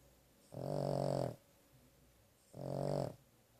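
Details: Sleeping after a vet visit, the dog Carley gives two rough, throaty snores almost a second long, about two seconds apart, low and buzzy with a faint hiss above, in a quiet indoor room.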